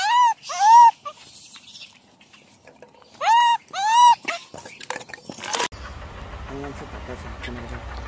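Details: Injured baby macaque with no mother to protect him, bullied by others, gives loud shrill arched cries in two pairs, near the start and around three to four seconds, followed by scattered clicks and rustling background noise.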